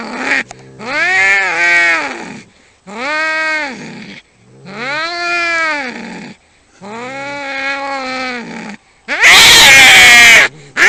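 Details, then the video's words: Fighting cats yowl in long arched wails, four sustained moaning calls of about two seconds each, ending in a harsh, loud hissing spit burst near the end. "cats fighting sound effects 10 hours 喵星人打架"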